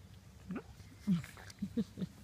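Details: Seven-week-old British Labrador puppy, Tiny Tim, the light yellow male, playing tug of war with a blanket at playtime; short low grunting growls and squeaky whines in quick bursts, with some indoor background noise.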